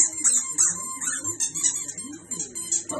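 High, squeaky tones and faint music fill the room, with no clear animal voice.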